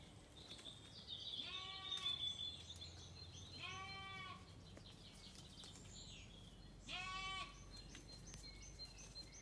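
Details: Lamb and ewe exchange calls as Zwartbles sheep settle in at dusk after their feed, County Kilkenny, Ireland. Three quavering bleats spaced a couple of seconds apart, over faint high birdsong and a low hum.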